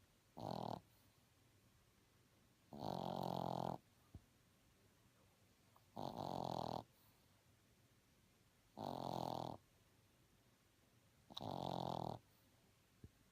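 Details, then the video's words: A sleeping Boston Terrier puppy snores steadily: five harsh, throaty breaths about every two and a half to three seconds, some longer and rougher than others, against a quiet room. "Snoring Puppy"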